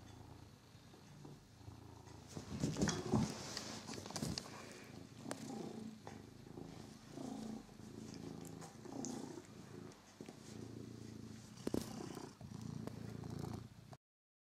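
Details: Domestic cat named Figaro at play with a toy mouse, his favourite new plaything; a soft, low, pulsing purr rises and falls in waves over the whole stretch, with occasional faint rustles and taps.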